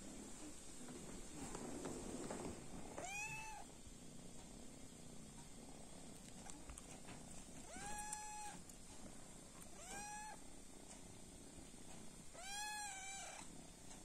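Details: Kitten indoors giving four clear meows around three, eight, ten and twelve seconds, each a rising then level tone with strong harmonics, over a low steady rumble and faint background hiss.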